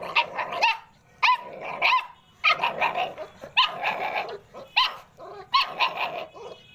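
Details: Several American Pit Bull Terrier puppies yelping: clusters of sharp, high whining cries and squeaky barks arriving in bursts about once a second, separated by short quiet gaps.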